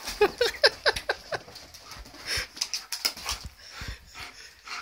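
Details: An Alaskan Malamute puppy reacting to a birthday balloon gives a rapid series of short, yelping, woo-like vocal bursts followed by softer whines.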